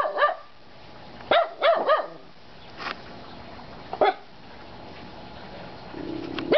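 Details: Three dogs, Kona, Koko and Konnor, barking: sharp mid-pitched barks with ringing overtones, one at the start, a quick cluster of three soon after, a single bark midway and another at the end, with a low steady hum between.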